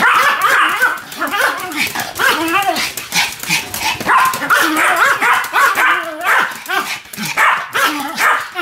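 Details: Pomeranians Sam and Marine in a barking duet: rapid overlapping yaps mixed with whining, bending yelps, almost no pause between calls.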